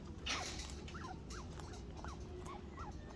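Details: Chinchilla indoors, heard while a baby calls: a run of faint short squeaks, each bending up then down in pitch, about seven in three seconds over steady background hiss.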